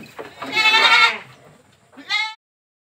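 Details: Boer goat kid in a pen in Blitar, taken home as a breeding female: one drawn-out, harsh bleat, then a short second bleat after a pause, with a voice underneath.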